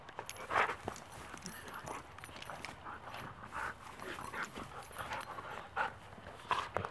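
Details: Wolfdogs playfighting while Mango, a 12-year-old Great Pyrenees mix, tries to break off the fight; quiet, rough growling and snuffling bursts come in scattered short pulses throughout, over a low steady background hiss.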